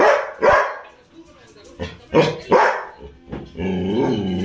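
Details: Labrador Retrievers at home in the evening, several short deep barks at irregular intervals, mixed with a person talking and a sustained low droning sound near the end.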